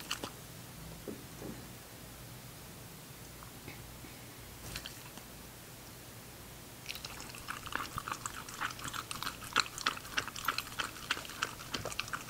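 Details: Ginger, a female English Cocker Spaniel puppy, eating. Near-silence with a few isolated clicks gives way halfway to steady, rapid crunching and chewing, several bites per second.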